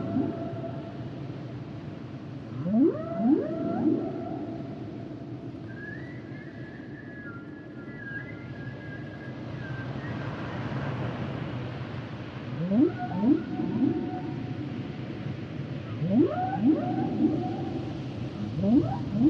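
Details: Humpback whales singing, with paired upswept cries repeating in bursts, a high level whistled phrase holding through the middle, then more rising sweeps toward the end over a low ocean hum.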